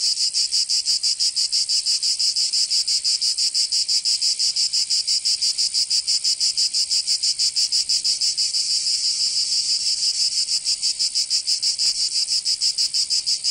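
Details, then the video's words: Cicadas singing in summer in Provence, southern France: a dense, loud, high-pitched buzzing chorus pulsing rapidly and steadily, about three pulses per second, continuous throughout with no other sounds. "Canto Cigarra 🦗 [ Escuchar les cigarras en verano 10 H]"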